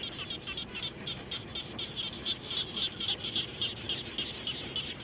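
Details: After rainfall near a home, frogs call in rapid repeated pulses, bright clicking notes coming almost four per second and growing stronger midway, with other callers overlapping.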